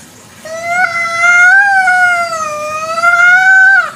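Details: Long wailing meow from a village cat (kucing kampung) at night, a sustained harmonic cry of over three seconds that wavers gently up and down before dropping at the end.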